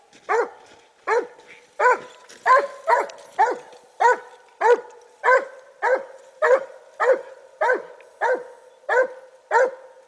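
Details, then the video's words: Treeing Walker Coonhound named Clover barking loudly in a long, regular series of short, sharp chop barks, roughly one every two-thirds of a second, each with a quick downward tail. "CLOVER TREEING WALKER"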